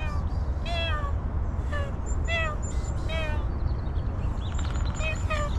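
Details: Hungry homeless cat, a female that has not eaten for a long time, giving short harmonic meows about once a second, some rising then falling, over steady low rumbling background noise and faint other sounds.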